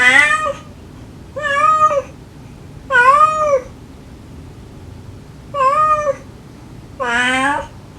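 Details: Stray domestic cats, a mother gently calling her kittens and the kittens answering sweetly, recorded to lure the last of five kittens from a dead tree. Five clear harmonic meows, each rising then falling, spaced about every one and a half seconds, in a quiet room.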